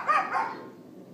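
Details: Neighbor's dog left outside yapping, recorded April 18, 2012 late morning on an iPhone 4S: a single sharp, high, doubled yap that fades into steady low background noise.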